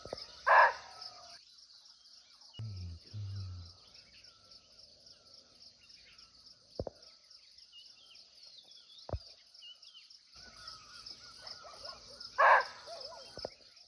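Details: A barking deer (muntjac), unseen but close by in a natural forest in Nepal, gives two loud, abrupt barks about twelve seconds apart over a steady insect drone.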